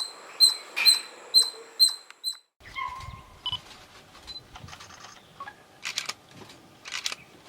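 A squirrel gives a quick series of sharp, high chirps, then softer scattered squeaks and clicks.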